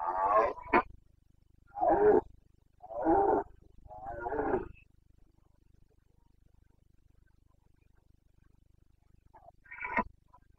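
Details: Carpathian red deer stag roaring during the breeding season in the Bucovina mountains, 29 September 2022: four harsh, harmonic bellows in quick succession, each under a second, then a pause and a final short roar, with a low steady hum underneath.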